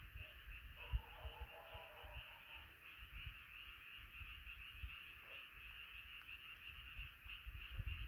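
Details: Frogs chorusing together at night, an unbroken band of massed croaking, joined early by a brief lower warbling sound, over an uneven low rumble with sharp knocks.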